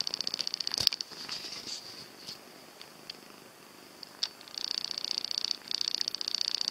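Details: Cat purring in rapid, even pulses that fade in the middle, broken by a sharp click, then return strongly for the last two seconds.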